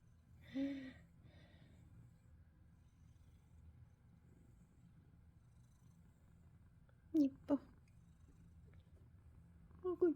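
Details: Ragdoll cat being brushed indoors, giving a soft, steady low rumbling purr that runs unbroken through the whole stretch, with brief Korean speech near the start and again at the end.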